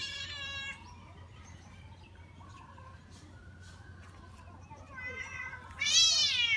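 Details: Domestic cat playing in water, giving two loud, high, harmonic-rich meows, one at the start and a longer, rising-then-falling one at the end, with faint lower vocal sounds and a soft, steady background hum between them.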